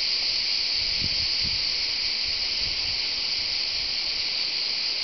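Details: At the tour de l'Hers, Châteauneuf-du-Pape, France, cicadas give a steady, high, hissing buzz that runs without a break.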